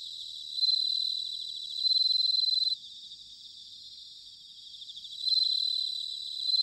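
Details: Bell crickets in autumn at Sanuki, Chiba, Japan: loud ringing trills in bursts of about a second, separated by quieter stretches where a dense chorus of other crickets continues steadily.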